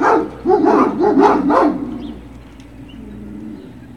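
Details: A brief burst of several quick barks from Great Dane puppies at Puppy Hill, recorded 21 March 2019, fading out after about two seconds into a low humming background.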